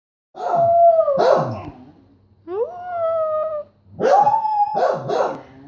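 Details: Beagle howling: a long, steady, slightly wavering tone broken by harsh barking bursts, then a second rising drawn-out howl after a pause and a final held howl ending in rough barks.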